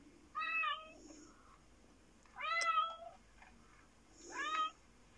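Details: Three short rising-falling meows from a black fluffy Japanese cat indoors, roughly two seconds apart, bright harmonic tones over quiet room noise, with Sooty, a second cat, watching.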